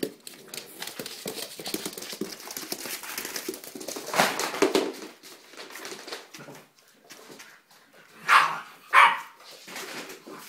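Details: A dog playing with puppies; scuffling and rustling noise first, then two short, sharp barks or yelps close together near the end.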